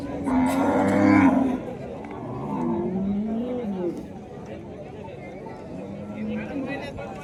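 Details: Gaolao cattle, a native breed, at an agricultural exhibition in Wardha, Vidarbha. A loud, deep moo with rich harmonics lasts about a second and a half. Lower, drawn-out lowing follows, over a crowd murmur and an announcer's voice.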